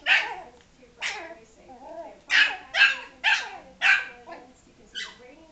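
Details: Yorkshire Terrier barking angrily at a ball that was rolled toward him and hit him: about seven sharp, high yapping barks, roughly one every half second to second, with softer growly whines between them.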